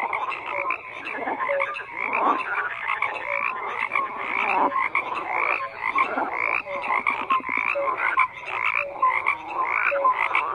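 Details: Croaking frogs in full chorus: dense overlapping rattles and clicks in irregular bursts, with scattered short tonal notes, continuous across the whole stretch with no other sounds.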